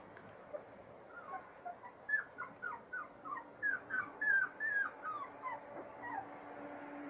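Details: Three-week-old Siberian Husky puppies from one litter on their first outing into fresh air, producing quick high-pitched whining squeals, falling slightly in pitch, around three per second over a faint steady hum.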